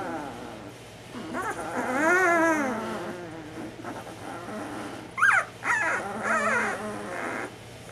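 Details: Ten-day-old Bernese Mountain Dog puppies, tired yet complaining while waiting for their bedding to be changed, each with its own distinctive squeak: wavering rising-and-falling whines and sharp high squeaks overlapping, over a steady low hum.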